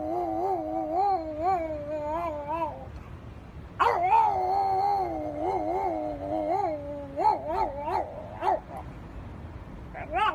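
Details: French Bulldog giving long, wavering whine-howls with a wobbling tonal pitch. A brief pause comes near three seconds, then a louder, sustained howl that breaks into shorter rising yelps toward the end. No other clear sounds.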